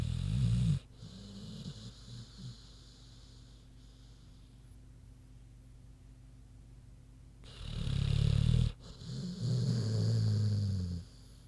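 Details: Sleeping pig named Queenie snoring: two deep, rumbling snore bursts, one at the start and a longer, louder one near the end, separated by quiet breathing. The sound is low and throaty with no other clear sounds.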